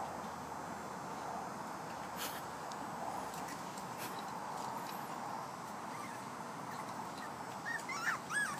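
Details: Playing five-week-old puppy, heard near the end in a quick series of thin, wavering whimpers and yips, bending up and down in pitch. Before that comes a long stretch of constant hiss with occasional clicks.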